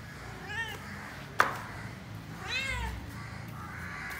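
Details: A black cat meows while asking for food: two arched, harmonic meows about two seconds apart, with a sharp click between them and a low background hum.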